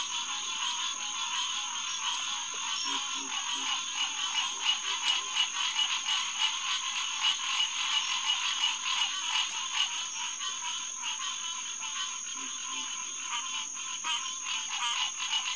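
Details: Green tree frog chorus, Hyla cinerea, recorded after dark at a refuge pond beside Lighthouse Road in early June; many callers overlap in a constant buzzy, nasal din, with sparse low double croaks now and then.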